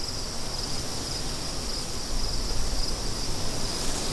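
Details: Crickets chirping against a backdrop of wind, the insects giving a thin, steady high-pitched trill with faint regular pulses, while low rushing wind gusts swell and fade beneath them.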